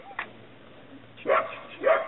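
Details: Chesapeake Bay Retriever puppies giving two short yelping yips near the end, with faint whining tones before them; quiet background otherwise.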